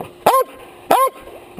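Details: Close-range dog barking at a chest-worn action camera; two loud, clipped barks about two-thirds of a second apart, a third starting at the end.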